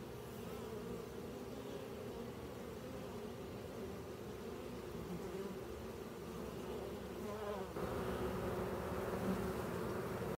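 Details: Western honey bee (Apis mellifera) colony buzzing at a crowded beehive entrance: a dense, steady low drone of many wingbeats blending into one hum.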